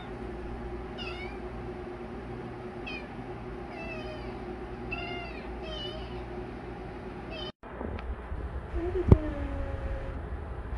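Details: Yoda, a legless baby kitten being adopted, gives a run of short, high, curving meows spaced a second or two apart over a steady low hum, then a sharp knock and a brief sliding tone near the end.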